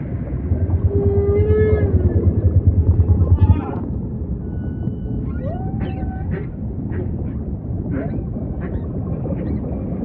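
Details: Humpback whale song: a long low moan that rises and falls, then a run of short upswept chirps and a curving cry repeated several times, over deep ocean rumble.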